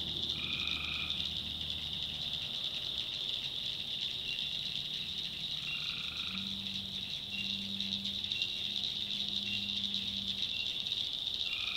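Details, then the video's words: Tree frogs at night in North Carolina swampland: a high continuous chorus with a few short nasal calls, while deeper low hums and drawn tones sound underneath midway through. "Relaxing Swamp Sounds at Night - Frog Heaven - Frogs, Crickets, Forest Nature Sounds"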